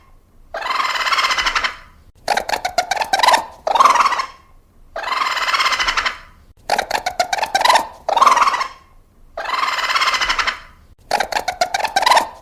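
A raccoon gives a harsh, squealing cry followed by quick, stuttering trills, repeated in a steady cycle.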